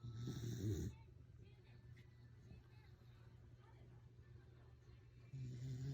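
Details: Welsh corgi asleep and snoring: a loud, low, rumbling snore fills the first second, then a quiet stretch with faint low hum, and another deep snore begins just before the end.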